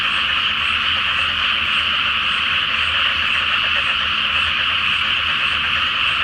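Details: Full-moon night at a flooded rice field before planting, where a great chorus of frogs produces a continuous mass of overlapping croaking trills, dense and unvarying, without other distinct sounds.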